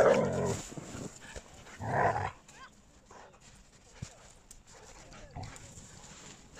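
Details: Samoyed dog at play, giving two loud, harsh barks, one at the very start and another about two seconds later, followed by quieter scuffling and faint background sounds.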